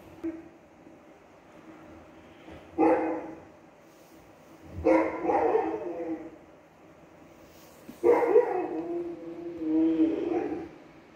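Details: Newfoundland named Nala, a big dog, vocalizing while watching other dogs on TV: four drawn-out, harmonic woofs roughly every two to three seconds, each rough and mid-pitched, with quiet room sound between them.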